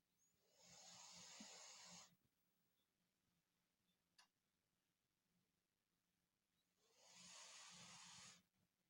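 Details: A sleeping Dachshund snores: two long, hissy, breathy snores of about a second and a half each, roughly six seconds apart, with a faint low rumble underneath and a quiet pause between them.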